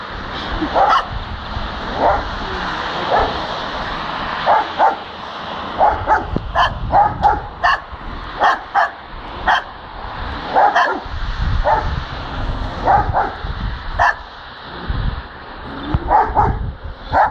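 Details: A dog barking as it spins, encountered on the way home: a long run of short, sharp barks, often paired, coming every second or two, over a continuous low hum and rumble.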